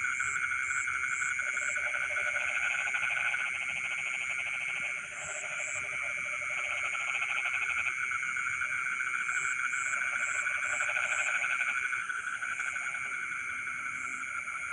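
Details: Rice-field frogs calling at midnight: bursts of fast, rattling croaks rise and fall in loudness over a continuous high whine, with intermittent short high-pitched chirps.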